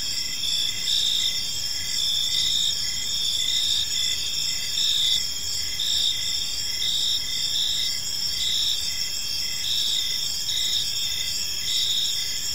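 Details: Gentle chirping of crickets filling a serene park at evening: continuous high, bright trilling from several callers, finely pulsed and even in loudness throughout, with only faint low environmental noise beneath.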